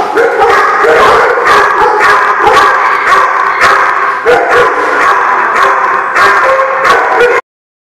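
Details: Dense chorus of dogs at the Barking Lot on 4/11/16, rough overlapping barks and yips pouring out without pause for about seven seconds, then abrupt silence.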